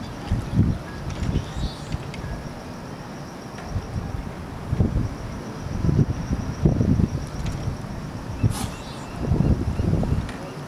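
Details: Group of California sea lions hauled out on a floating dock at Old Fisherman's Wharf, Monterey, California, 21 March 2013; deep, gruff barks in uneven bursts roughly every second or two, with constant low wind and traffic rumble.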